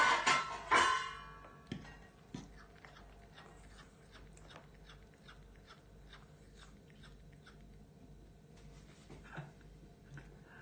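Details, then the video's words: A gluttonous male cat begging for more food gives a loud, harmonic, wavering meow at the very start, then falls quiet apart from faint clicks, room hum and a brief soft sound near the end. "this cat is enjoying his meal and ask for more : weird meows / sounds my cat make"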